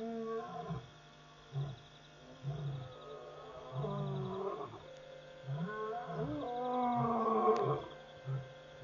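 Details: Lions calling repeatedly after midnight at Pete's Pond waterhole, Mashatu Game Reserve, Botswana; loud, close moaning roars rising into a long drawn-out groan, followed by a run of short grunts, with insect trilling behind.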